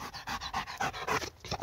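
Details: Dog worked up by a laser pointer, panting loud and fast: about nine strong, breathy gasps in under two seconds, each one crisp and forceful.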